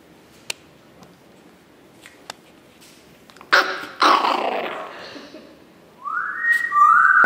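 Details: Chihuahua puppies recorded on 9 April 2016: a few soft clicks, then bursts of scratchy, noisy yelps, and finally a sustained high whine that rises briefly and then holds steady.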